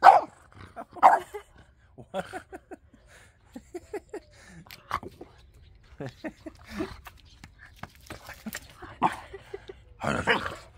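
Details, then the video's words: A French bulldog answering back during a squabble with its owner over coffee: a series of short whining, grumbling yips and moans at an irregular pace, mixed with the owner's speech and a couple of louder barks. "French bulldog argues with dad over coffee"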